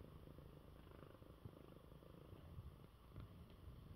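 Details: Sick male cat purring contentedly in his bed after eating; a faint, even low-pitched purr, soft and continuous, in a quiet indoor setting.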